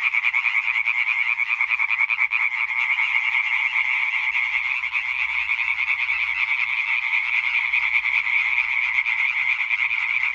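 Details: Chorus of Hyla arborea, European tree frogs, recorded 20 May 2023: unbroken wall of rapid rattling croaks from many males, fast pulsing texture repeated more than twice a second, steady loudness, nothing else audible.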